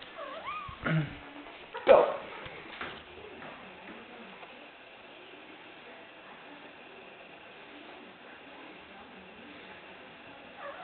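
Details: Ginger, a female pet kitten playing fetch at home, meows to ask for her ball to be thrown: a few short rising-falling meows open, a louder one follows near two seconds, then quiet indoor hum with a person's voice.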